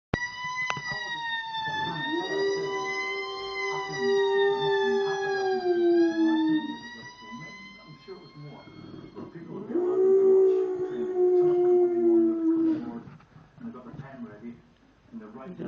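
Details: Layla, a female pet dog in heat, howling along to a police siren playing on TV indoors. Two long, steady, slightly falling howls sound over the wailing, rising-and-falling siren, ending with a spoken "Good dog."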